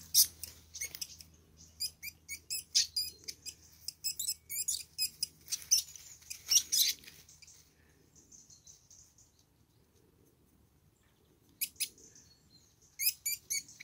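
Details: Pair of least weasels locked in a fight, unaware of the person watching; dense runs of shrill, sharply modulated squeals and chirps, then a quieter stretch with a soft drawn-out whine before short squeaky bursts resume.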